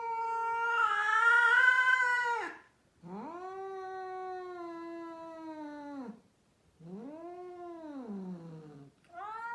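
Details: A female cat, one of a group of rescued cats in Mumbai, India, utters long, loud, moaning yowls. A harsh, strained first cry is followed by two smoother, level wails that each sag at the end, with short pauses between them.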